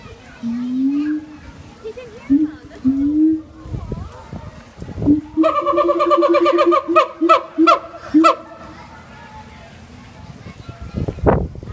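A siamang gives low, rising hoots that build into a rapid series of loud, ringing barks.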